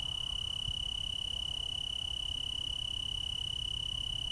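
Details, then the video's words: Steady pulsing trill of a tree cricket chorus, Willamette Valley, Oregon, a constant high tone with a fine rapid throb, plus soft low-frequency background noise. "Tree cricket chorus"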